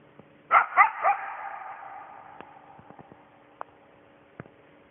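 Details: Single coyote near a house at night, calling out to its absent pack: three quick hoarse barks in a row, each trailing off in a long echo, followed by quiet faint clicks.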